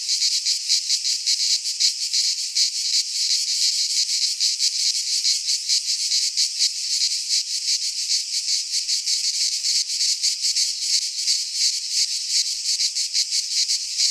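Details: Shrill, unbroken cicada song in a Greek pine forest at midsummer, many insects buzzing together in a high metallic hiss with rapid flickering pulses, plus occasional faint low thumps.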